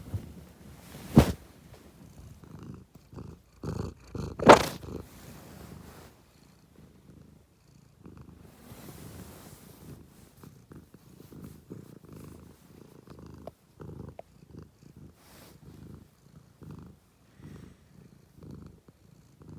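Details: Domestic cat purring in low, rough pulses, with two loud sharp knocks near the start and soft rustling through the rest.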